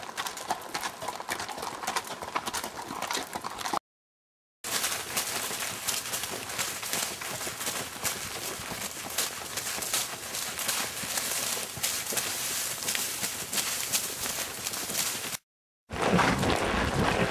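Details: A horse walking on a trail ride clip-clops its hooves in a steady rhythm of about three beats each second, with natural sounds only.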